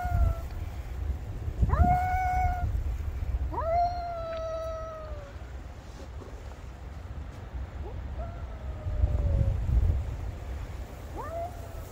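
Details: A black cat calling loudly to a white cat, apparently strays, in a cat-to-cat exchange; several long meows, each sliding up then gently falling, the later ones fainter, with low rumbling background noise.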